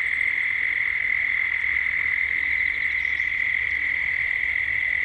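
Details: Gippsland, Australia at dusk, with cicadas in 3D ambience: a loud, continuous, level buzzing tone dominates, with a few faint high ticks above it.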